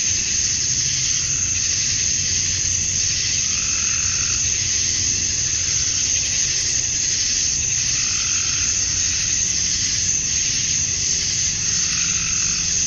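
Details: At dusk in a Georgia, USA summer, male cicadas call to attract females; the loud sizzling buzz swells and fades in gentle pulses roughly every second or two over a constant high drone.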